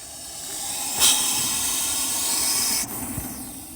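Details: Russell's viper, rescued from a cricket ground near Bheemli, Andhra Pradesh, India, hissing: one loud, harsh, steady breathy hiss lasting about two seconds, cutting off sharply, with faint background noise.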